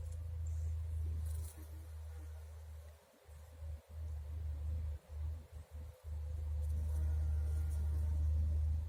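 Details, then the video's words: Garden bumblebee gathering nectar gives a deep, effortful drone that holds steady, breaks off and restarts several times in the middle with short stuttering bursts, then resumes as a strong continuous hum. "ШМЕЛЬ НАТУЖНО ГУДИТ, СОБИРАЯ НЕКТАР..."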